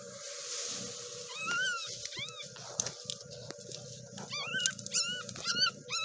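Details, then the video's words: Newborn kittens of a stray cat, born that day or the night before in a nest under a kayak, give a run of short, thin, arched mews, several in quick succession, over a steady low humming drone and light clicks. "Just Born Baby Kittens"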